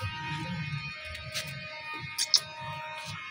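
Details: Quiet plucked guitar music in a small room, with low rumbling and a couple of short sharp clicks, and no animal calls.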